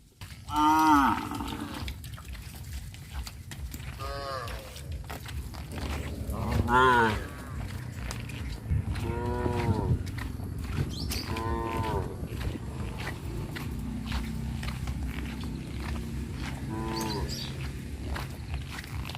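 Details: Tame cows walked out to a grazing field in a village give about six short, arching moos spread over nineteen seconds, with steady outdoor hiss and rumble in the background.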